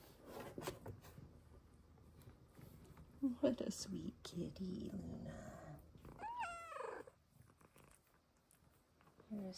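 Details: A small female Bengal cat gives a clear, drawn-out meow that rises and then falls, amid a woman's soft speech.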